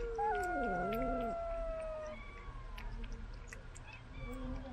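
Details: Pet cat fed from a remote-controlled car: one loud, drawn-out meow that dips down and swings back up, then trails into a long, thin, even tone, with low hum behind.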